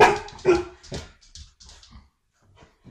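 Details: Frightened pet dog giving a quick run of loud, sharp barks, three bursts within the first second, then fading into softer, shorter yaps with brief pauses between them.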